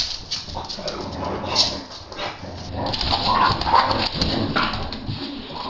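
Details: Adult English Bulldogs playing with a stuffed toy found in the garage, refusing to share it with an 8-week-old English Bulldog puppy. Rough, repeated grumbling growls and short bark-like bursts come in an irregular run, with indoor room noise.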